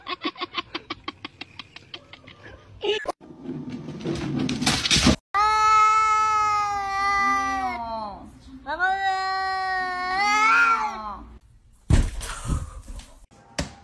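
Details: Domestic cat meowing indoors: two long, drawn-out meows, each a few seconds, bending up then down in pitch, with a person's voice talking before and after and short sharp noises around them.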